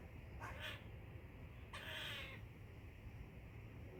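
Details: Squirrel chirping twice: a short raspy call, then a longer, louder harsh call about a second later, both with faint falling overtones, over a continuous low hum.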